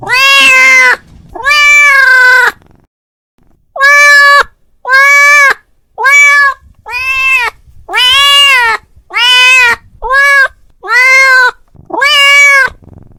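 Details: A male domestic cat calls out to his friend with ten loud, drawn-out meows, each rising then falling slightly, given in quick succession after a brief opening pair and a gap.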